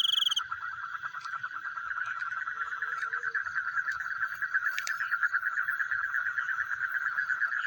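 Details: Frogs calling at night, a sound likened to chewing: a steady, rapid, rattling pulsed chorus in the mid range, many pulses per second, with a brief high insect trill at the very start.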